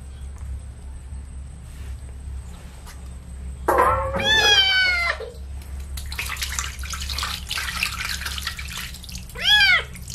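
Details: Kitten being bathed with baby shampoo gives a long, drawn-out meow that slides downward, then a burst of splashing, running water and a short, rising-falling mew at the end.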